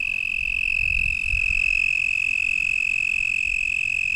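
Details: American toad gives a long, steady, high trill holding one even pitch, with a Fowler's toad possibly calling in the distance, at a lake at dusk in late April; the recordist approached, and the toad stopped calling.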